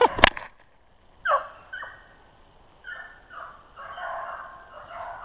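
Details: On February 25, 2016, beagles hunting snowshoe hare give yodelling bays. A sharp bang opens, then rising, cracking bay notes follow in quick succession, merging into a continuous chorus.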